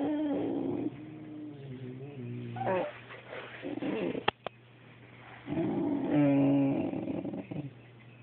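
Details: Boxer pleading with a cat to play: strained, quavering whines in bursts, a couple of sharp clicks in the middle, then a louder rising and falling whimper that trails off over a low hum.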